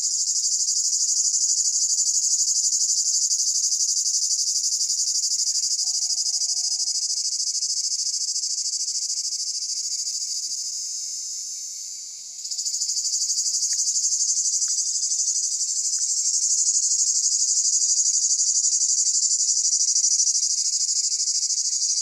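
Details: Summer cicada chorus in Pelion, Greece, a continuous shrill high-pitched buzz with fine rapid pulsing, fading slightly before a short dip around midway, then resuming at full strength.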